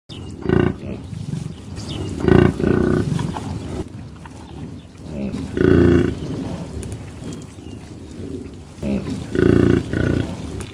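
A buffalo gives short, deep, hoarse bellows, repeated every few seconds.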